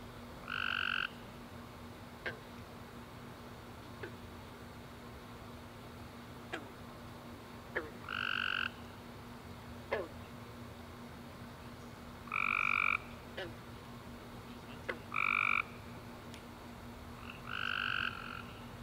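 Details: Tree frogs calling at night after a warm rainy summer day: short nasal honking notes with stacked bands, each about half a second long, spaced a few seconds apart, with faint clicks between and a steady low hum beneath.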